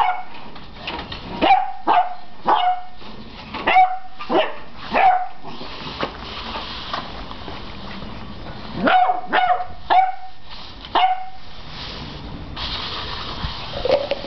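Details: Beagle puppy, 11 weeks old, barking at a broom: a rapid series of high, ringing yappy barks, seven in the first five seconds, a pause, then another quick burst of three.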